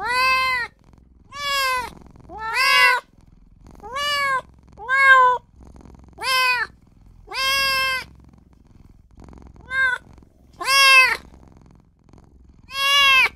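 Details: Newborn kitten calling for its mother and its owner, a rapid run of ten short, high, arched mews about one per second, each bright and rising then falling, with quiet gaps between.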